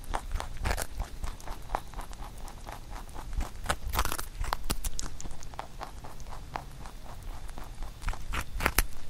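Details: Pet rabbit named Huchu eating a carrot songpyeon made for Chuseok; rapid crunchy bites and chewing in quick irregular clicks, several sharp louder crunches, low thumping underneath.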